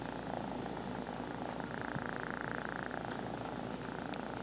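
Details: Domestic cat purring, recorded up close on a phone camera; a steady, rough, continuous rumble with a faint fluttering texture throughout, broken only by a couple of tiny clicks.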